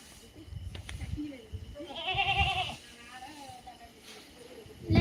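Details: Native country goat (Tamil nattu vellaadu) giving one wavering, nasal bleat of about a second midway, with quieter tremulous notes after it, against people talking and low rumbling handling noise.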